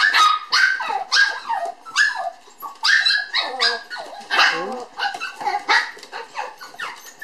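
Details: Toy poodle puppy sisters born on 9 July, lively and playing: a rapid run of high, sharp yips and barks, several overlapping, some sliding down in pitch, with short pauses between bursts.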